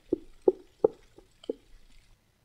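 A gray whale gives a short series of low, hollow knocks, like someone rapping on a door.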